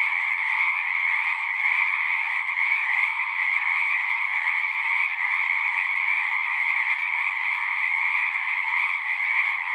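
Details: Frogs in full song at a pond in a horse pasture, Zoom 6 recording: a thick, uninterrupted chorus of shrill trilling voices in two pitch layers, holding a steady level.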